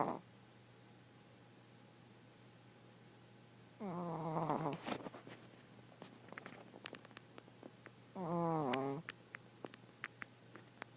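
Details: Sleeping five-year-old 4.5 lb Chihuahua indoors snoring: a loud nasal, wavering snore followed about four seconds later by another, with scattered sharp clicking sounds in between over a low steady hum.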